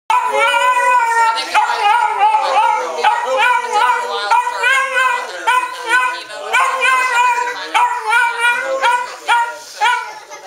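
A Dachshund sings out in sustained, quavering howls, each sliding up and down in pitch. The howls come in a near-continuous series with brief breaks, rich in harmonics.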